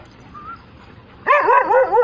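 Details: Vocal female Siberian Husky, described as talking or rather yelling: after a quiet start, a loud wavering, yodel-like outburst with rippling pitch fills the second half.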